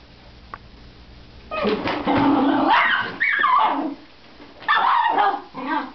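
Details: Miniature Schnauzer confronting a vacuum cleaner: after a faint click, a run of loud, rough barks slides into a wavering whine, then another bark burst follows.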